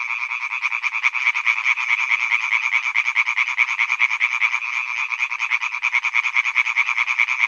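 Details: European tree frog males calling from a pond at Hyby Fælled, their quick, grating croaks running together into a loud rhythmic rattle that never pauses, with a few faint clicks in the background.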